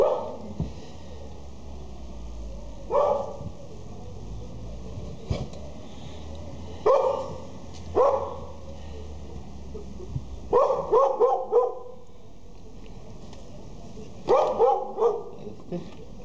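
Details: Border Collie puppies in Jalisco, Mexico, barking in scattered bursts: single yips, then quick runs of three or four sharp high barks, separated by quieter stretches over a constant low background hum.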